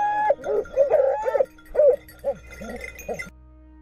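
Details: Griffon Nivernais pack in full cry after a wild boar on a hunt in Haute-Garonne, France; loud, close, uneven barks and yelps in quick bursts, fading out after about three seconds.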